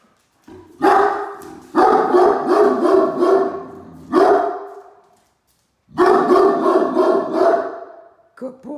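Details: Great Dane Mikey sounding the household alarm at a truck in the driveway, Ellie carrying a toy beside him: fast volleys of deep, gruff barks, several bursts with a silent gap, then a short yelp.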